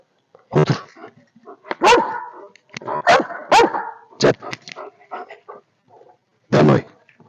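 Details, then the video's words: Alfa, a Belgian Malinois, giving a few scattered sharp barks amid softer shuffling and broadband noises, with a final loud burst near the end. "Малинуа. Бельгийская овчарка по кличке Альфа."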